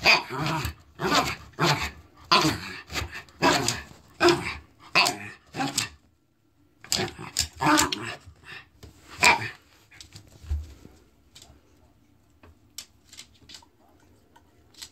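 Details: Woofy, a male Norfolk Terrier, vocalises in his pre-crunch dinner dance before eating a bone, showing satisfaction. A rapid run of about ten rough, growly barks and grunts lasts nine seconds, followed by near silence.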